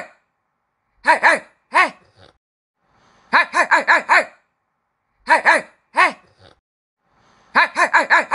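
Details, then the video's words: Puppies barking in a small indoor room: high, bright yaps come as a pair, then a single bark, then a quick run of five. The pattern repeats in a quiet background. "Puppies Barking - Cute Dogs Barking"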